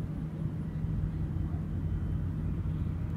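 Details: A steady low rumble of wind or passing traffic, with nothing else audible.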